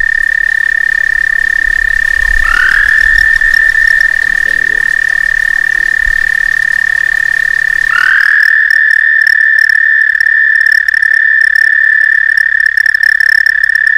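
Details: A frog visiting a back stoop over several summer days gives a mating call: a long, steady, high trill that swells up at its start and holds one even pitch.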